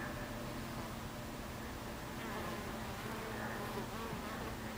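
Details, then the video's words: Dense buzzing of many honey bees crowding a hive entrance, afternoon of 26 July 2013 at 14:30; a continuous, even hum with low droning tones and brief rising passes of bees flying close. "Beehive Entrance Bees"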